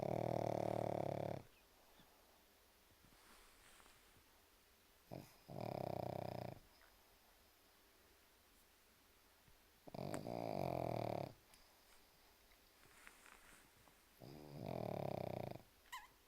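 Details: Pug asleep, snoring steadily: four loud, rasping, broad snores, each lasting about a second and a half, spaced roughly four seconds apart, with near-silence and faint small noises between breaths.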